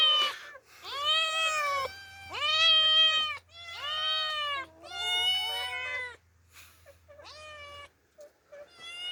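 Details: Demi and Dena, two orphaned female cats, exploring the outdoors for the first time, meow repeatedly: a run of long, bright, slightly rising and falling cries, about one every two seconds, fading near the end.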